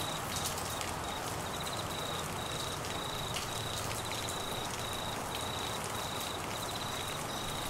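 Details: Queensland monsoon downpour with crickets trilling through it, a high thin chirping pattern in repeated clusters with brief gaps, nearly masked by the dense roar of rain and rustling.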